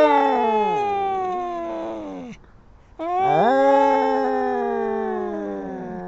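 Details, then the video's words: Kittens fighting, trading long drawn-out harmonic wails that slide downward, a short gap of near silence, then a second sustained, wavering yowl that slowly falls in pitch. "Crazy Cat Fight! How Far Will Kittens Go in Arguments?"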